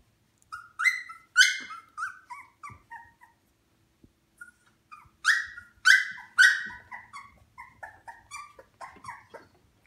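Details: Shikoku puppy at 18 days old, eyes open and beginning to walk unsteadily, crying in two loud runs of shrill, falling whimpers and yelps, about a dozen notes each, separated by a brief pause.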